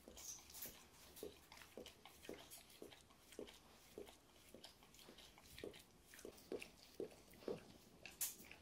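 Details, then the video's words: Golden Retriever mother with her 9-week-old puppy; brief, soft squeaky grunts come irregularly, roughly twice a second, with scattered clicks and rustling between them. "Super máma Zlatý retrívr / Good mum Golden retriever, puppy 9 weeks old"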